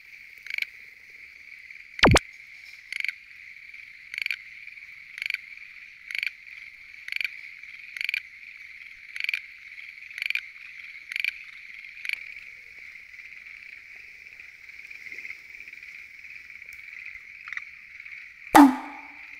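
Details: Schlegel's green tree frog at a lotus pond by night, short rattling croaks repeated about once a second over a quieter background chorus, with two sharp knocks at the start and end.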